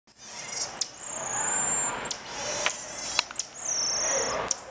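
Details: Common marmoset, locally called mico, making odd noises: two long, thin, level whistles held high and steady for nearly a second each, separated by sharp clicks and brief squeaks over a soft hissing background.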